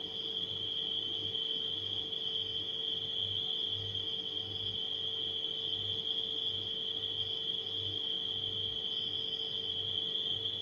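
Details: Nighttime crickets give a steady, unbroken high-pitched trill over the constant low drone of a humming refrigerator, with a soft pulsing throb underneath throughout.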